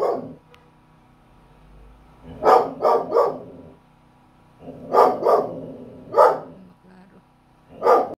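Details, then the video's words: A Belgian Malinois barks at a really small lizard, with a clipped opening bark, then clusters of two and three forceful barks between quiet gaps, over a faint constant hum. "Belgian malinois barking at really small lizard"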